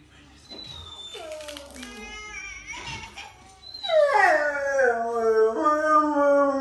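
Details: A Rottweiler howling and "chatting" with a person, drawn-out, wavering howls that slide downward, then swell into a louder sustained moan.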